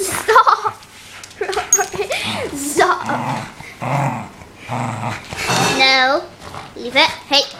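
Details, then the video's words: Rory, a playful one-year-old male wire-haired fox terrier, playing indoors. Rough growls and short yelping vocalizations come in bursts, some with rising and falling whine-like tones, mixed with a person's talking and laughter in a small room. "Me and my dog playing."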